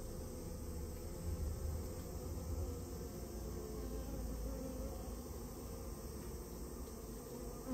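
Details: Japanese honey bees, a nest colony in a storehouse during removal, produce a continuous thick droning buzz with a steady low pitch and small swells in loudness.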